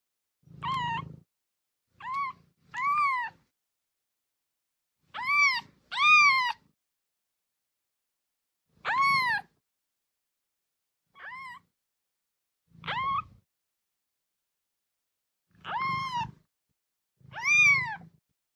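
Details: Kitten meowing, sounds meant to draw a cat's attention: ten separate high, harmonic mews with a rise-and-fall shape, spaced irregularly over about eighteen seconds with silence between, a faint low rumble under several calls.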